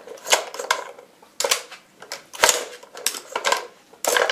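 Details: Rapid irregular clicks and clinks of small hard objects knock together in a small indoor room.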